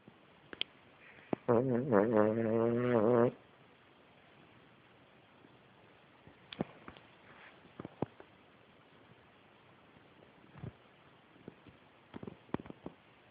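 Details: Sleeping pet Cavalier King Charles Spaniel snoring loudly: one long buzzy, rattling snore of about two seconds with a throbbing pulse, followed by near silence broken by faint scattered clicks.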